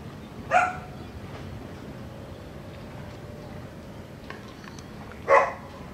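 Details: Barking dog next door, recorded on a Sony FDR AX100 camera: two single sharp barks about five seconds apart over a steady low background hiss.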